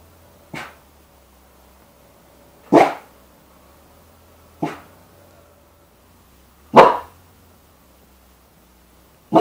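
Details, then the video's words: Puppy's first barks, likened to an engine that won't quite start: five short, sharp single barks spaced about two seconds apart, each a brief burst with a quick fade, in an otherwise quiet setting. "erstes Bellen"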